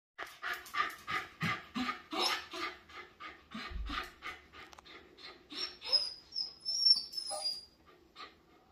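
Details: Miniature Schnauzer named Charlie greets his returning owner at the door, jumping on hind paws with joy; rapid panting huffs and breathy whines pulse about three per second, ending in a few thin high squeaks.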